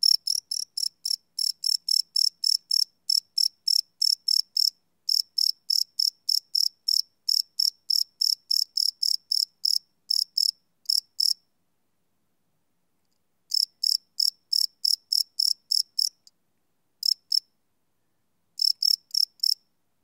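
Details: Night-time cricket chirps captured live with a Sony PCM D100 recorder; rapid high pulses run in long bursts, broken by a gap of about two seconds and a few shorter pauses, over a silent background.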